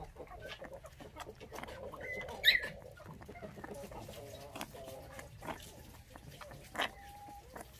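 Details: Bottle-fed puppies orphaned at six days old after their mother was stolen; thin wavering whimpers and one sharp high squeal midway, a later brief cry, amid soft background noise and nearby speech.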